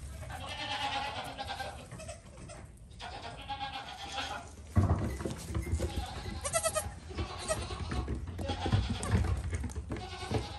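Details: Goat kid giving quavering, nasal bleats in short bursts separated by pauses, partly masked by heavy low rumbling and handling noise, with a sharper, louder passage in the second half.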